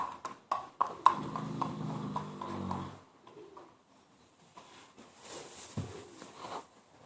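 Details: Mare Yaskrava snoring: a few sharp clicks, then one long, low, buzzing harmonic snore lasting about two seconds, followed by quieter shuffling, knocks and faint rustle.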